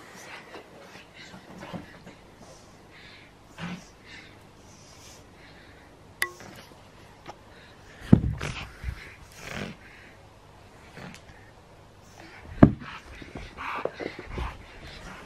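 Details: Pug puppy named Pablo playing indoors with an old mattress cover that has become his play mat; scattered snorts and wheezy breathy bursts, two sharper loud snorts near the end, faint room noise between.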